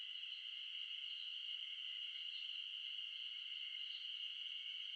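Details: A mid-June mass chorus of wild Ezo spring cicadas, Terpnosia nigricosta, in Shin'etsu highland forest, Japan. The piercing, unbroken buzz keeps an even pitch and loudness throughout, with no other sounds standing out.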